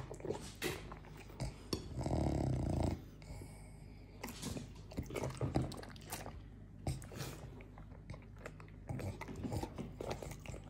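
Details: Morty, a French Bulldog, eats his way through a fruit plate indoors: wet smacking chews and soft clicks come in irregular bursts, broken around the second and third seconds by a low, rumbling, throaty snort.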